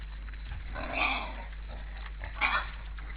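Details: Wild boars, eighteen counted at a busy winter feeding ground in an Estonian forest, caught by a forest camera on 12 December 2012 at 16:53; two harsh, squealing bursts about one and a half seconds apart over a steady low hum.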